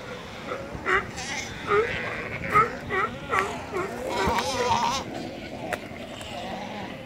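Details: Galapagos sea lion in the Galapagos Islands, Ecuador, giving a run of short, wavering, bleat-like calls roughly every second, some rising then falling, over a murmur of background voices.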